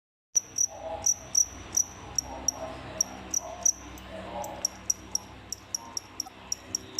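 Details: Captive crickets kept indoors as feeders, a pair that killed the rest of their group: sharp, high chirps at uneven intervals, some in quick doubles, others spaced about half a second apart, over a faint low room hum.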